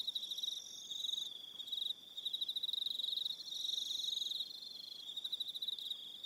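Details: On Aroha Island in New Zealand, evening crickets produce a rapid, high buzzing trill in uneven bursts, overlapping callers adding steady piercing tones at several pitches.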